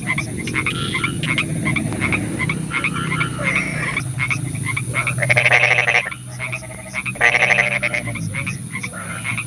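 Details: At night in the rain, a chorus of frogs: scattered pulsed croaks, then two loud rattling bursts of about a second each, over rain noise and low background rumble.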